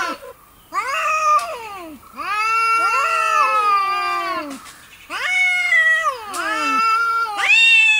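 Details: McLovin, a domestic cat that does not like the bathtub, meowing at bath time: a run of long, wailing, sliding meows, some overlapping and bending downward, with little pause between them.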